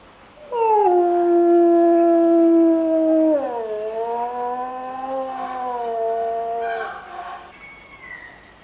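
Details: Captive grey wolves at a zoo during mating: one long, steady howl held for nearly three seconds, then sliding down to a lower, slightly wavering tone before fading out, with rich stacked overtones.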